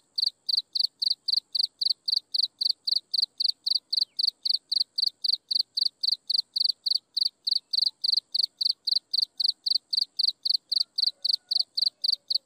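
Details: Chirping insects at sunset, a steady run of sharp high pulsed chirps about four per second, very regular throughout, over a faint constant high hum and otherwise quiet background.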